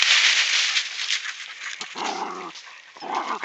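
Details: Rat Terriers, General Lee and Sadie, digging an opossum out of its den in woods behind a house in the afternoon; loud scraping and digging noise, then short harmonic barks or yips near the end, amid rustling.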